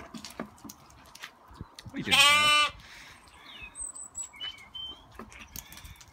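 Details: Lambs, baby sheep, playing during an afternoon run-around; one loud, harmonic-rich bleat lasts about half a second midway, while small birds chirp and whistle thinly in the background.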